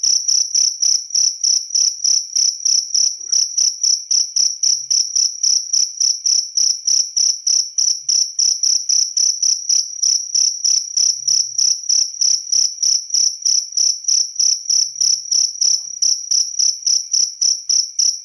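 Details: Cricket chirping steadily, a pure high-pitched trill pulsed in rapid regular bursts, about three per second, continuing unbroken throughout with a faint higher overtone; no other sounds.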